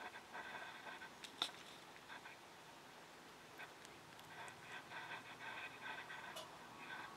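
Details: Scottish Fold kittens, 3.5 weeks old, give soft, high, thin mews in short bursts, overlapping through a quiet room.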